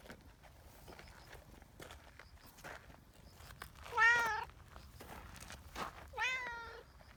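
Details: Community cat in Japan calling out as a signal that gathers the cats onto a bench, two drawn-out meows a couple of seconds apart, the first wavering, over soft outdoor background rustle.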